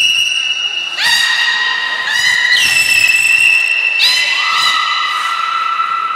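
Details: Loud harmonic whistles from belugas Hodoi, Taanya and Mirai in training at Port of Nagoya Public Aquarium, September 2019, held tones that step up and down in pitch, several in a row.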